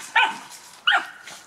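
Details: Dog giving two short, sharp, high yapping barks about 0.7 seconds apart, each clipped and bright, with a faint third one trailing off, among people talking in French.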